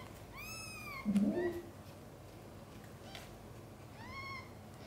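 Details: Mother cat Chan giving birth to five kittens indoors; two clear, high, downward-curving mews about three seconds apart, separated by a brief low thump.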